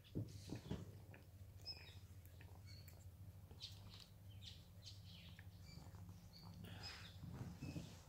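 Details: Sam, a rescued pet cat in Cooktown, Queensland, Australia, purring while his fur is groomed and pampered: a low, steady rumbling hum pulsing throughout, with scattered bird chirps in the background.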